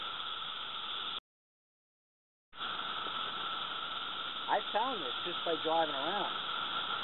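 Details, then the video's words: Periodical cicadas of Brood II sing in North Edison, New Jersey, in 2013, with about six insects right overhead. Their continuous droning buzz fills the recording, breaks briefly, then resumes while people talk over it. "Magicicada Cicada Sound Level Supercut - 109+ db"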